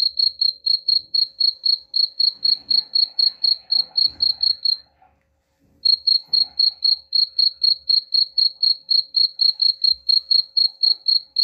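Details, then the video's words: High, even cricket chirping, presented as a sound to drive rats away, pulsing about four times a second, broken by a one-second silence near the middle; soft scattered background noises beneath. "suara jangkrik pengusir tikus ampuh"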